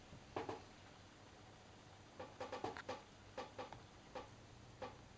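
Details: Bengal kittens cuddling each other indoors; short, high, squeaky mews come in quick clusters, about ten brief calls over five seconds, some paired closely, over a steady low room hum.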